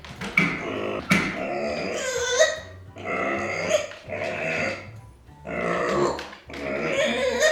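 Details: Micro pig Arya, left behind and showing discontent and anger, lets out long raspy squeals in bursts roughly every one to two seconds, with clattering in a small room.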